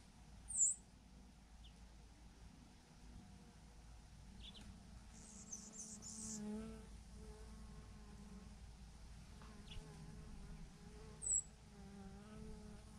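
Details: Bees from a swarm of thousands hanging in a massive clump on a branch; a low, wavering buzz hums steadily throughout as individual bees drift past, with brief faint clicks and ticks over a constant outdoor noise bed.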